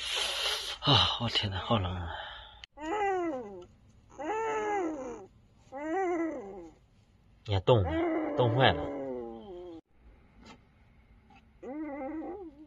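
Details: A litter of young puppies, abandoned in a box at a doorstep late on a winter night and crying from the cold. Several thin, arching whines, each rising then falling, follow one another over a few seconds, with a man's voice before and after.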